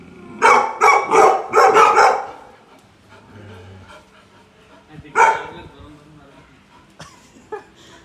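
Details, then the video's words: Tibetan Mastiff puppies barking at a Bluetooth speaker as if it were alive: a burst of four quick yapping barks, then a single bark after a pause, with faint sounds in the quiet gaps. "Funny Tibetan Mastiff puppies thinking that it was a living thing"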